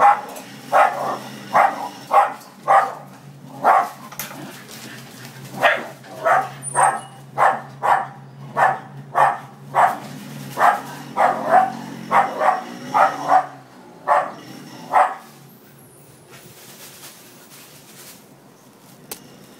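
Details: Scotties chasing a noisy Pizza Hut motorbike away give rapid, regular barks for about fifteen seconds, then fall quiet while a rising engine whine and background music carry on.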